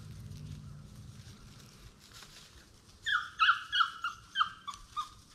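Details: Young Plott Tan hounds, a Plott hound crossed with a black and tan coonhound, aged between eight weeks and five months; after three seconds of quiet rustling comes a run of about seven short, high, harmonic yelps in quick succession.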